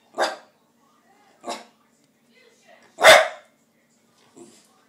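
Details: Dog barking because it wants tikka masala: three gruff, broadband barks spaced about a second or more apart, the last loudest, followed by a faint short sound, in a quiet room.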